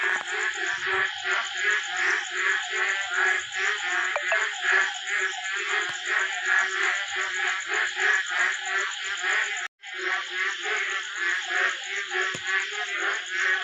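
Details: A dense night chorus of many frogs of various sizes croaking together in overlapping, rapidly repeated pulses beside a small pond after daytime rain.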